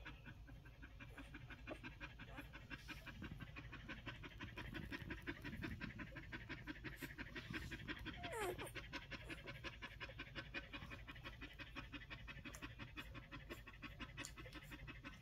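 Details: Collie puppies one week old pant in a fast, even rhythm about three breaths a second; a thin rising squeak briefly cuts in midway, with a quiet hum beneath.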